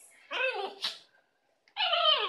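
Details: An Italian Greyhound playing with its favourite toy gives two drawn-out, whining grumbles, rich in harmonics and falling at the end, complaining that loud human laughter is too noisy.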